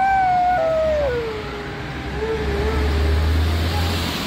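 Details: An Alaskan Malamute howls at a passing ambulance. A long drawn-out tone holds steady, then glides downward and wavers at a lower pitch, over a low rumble of traffic.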